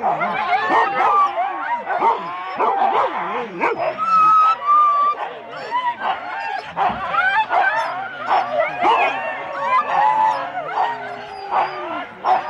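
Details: Eager Husky sled dogs in four-dog teams at the Rendlesham start, January 2016, recorded on analogue cassette: a continuous din of many dogs yapping, yelping and whining in rising and falling tones, with faint voices.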